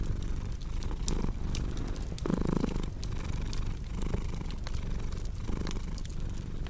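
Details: Domestic cat purring indoors beside a crackling fireplace: low rumbling purr that swells and fades with each breath, one stronger breath midway, with sharp pops and crackles of burning wood throughout.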